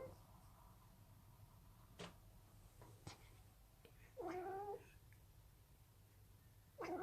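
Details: Male pet cat making weird noises while having fun indoors; after quiet thumps and clicks, two short nasal, wavering mid-pitched calls, one lasting about half a second and another starting at the very end.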